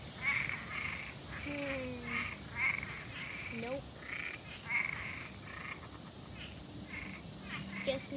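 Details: Frogs calling in nature after Hurricane Debby: short, high, pulsed croaks repeat roughly every half second through the clip, with a few lower drawn-out tones and faint background hiss.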